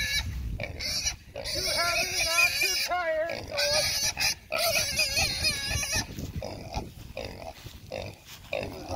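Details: Red Wattle hog being wrestled onto a man's shoulder, letting out loud, high, wavering squeals in a rapid run over the first few seconds, then quieter grunting noises, with a man talking over it.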